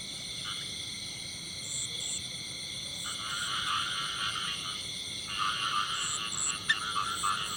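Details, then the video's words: Male frog in the field with scattered grating croak bursts, short at first, then longer pulsed runs near the end, over a steady high-pitched buzzing background. "The song of a male frog in the field"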